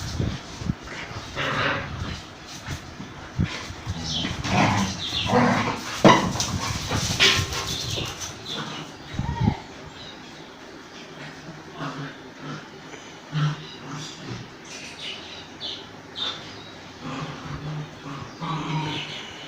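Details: Dogs fighting as an Indian breed attacks a German Shepherd: harsh, broadband barks and snarls packed tightly through the first ten seconds, then sparser, quieter outbursts over low rumbling background noise.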